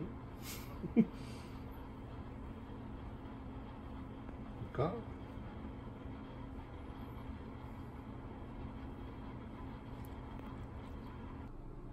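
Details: Quiet room with low background hum, a couple of brief soft thumps and faint distant voices.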